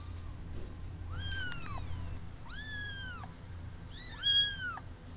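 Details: Farm kittens a few weeks old, born to the farm cat Spanky, indoors: three high, arched meows, each rising then falling, spaced about a second apart, over a low steady hum.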